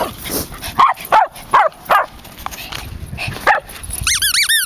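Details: Jasper, a 16-week-old Samoyed puppy, plays at a local dog park with his brother Bailey, a Pomeranian x Dachshund. A run of short, sharp barks comes in quick bursts, followed by high, looping squeaky yips near the end.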